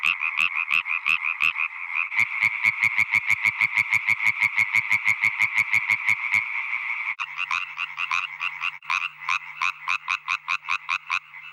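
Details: Male European tree frog chorus, song type favoured by females for low pitch, loudness and speed; fast rattling croaks repeated about three per second, several males overlapping and alternating over eleven seconds.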